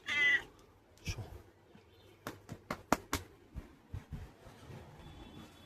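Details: Pet cat named Chomchom, indoors at home: one short, loud, harmonic meow opens the recording, followed by a series of sharp tapping clicks and a quiet room background.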